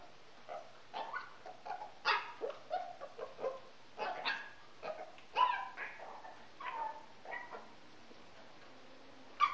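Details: Pet male Pekingese performing his habitual "yoga" routine, a behaviour problem his owners describe; a run of clipped barks and whining yelps, some bending in pitch, spaced irregularly over a quiet indoor background.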